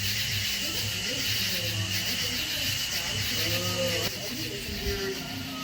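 Cicadas drone in a steady, high buzzing chorus while a man talks over it.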